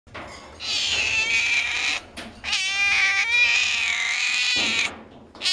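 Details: Cats at a veterinary clinic yowling: two long, drawn-out, high, wavering cries, the second lasting about two seconds, with a short gap between them.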